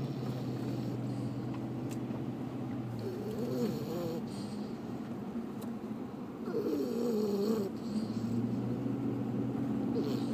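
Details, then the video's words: Sleeping dog snoring, a steady low rumbling breath with harmonic bands, plus two brief tonal whimper-like wavering sounds around four and seven seconds. "Snoring dog"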